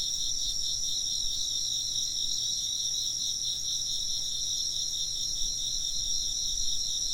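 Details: Many insects sing together in an unbroken, high-pitched, buzzing trill with quick regular pulses. The chorus stays constant and forms an evening-like ambience with a low background hum.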